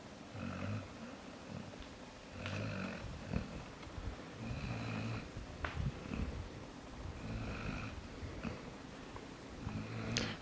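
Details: Jaxson, a pet dog, sleeps inside and snores steadily: low grumbling pulses about every two and a half seconds, some with a faint whistly edge, plus light clicks between them.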